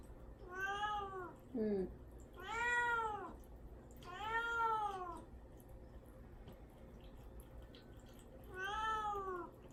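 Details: Young male cat named Mamedaifuku, caged and fasting before neutering, meowing to be let out; four drawn-out, arching harmonic meows with a short squeak between, in a small indoor room.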